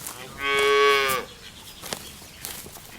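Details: A cow on a lush green meadow, searching for food among the herd, gives a single rich, harmonic moo lasting under a second, followed by soft outdoor ambience and a few sharp clicks.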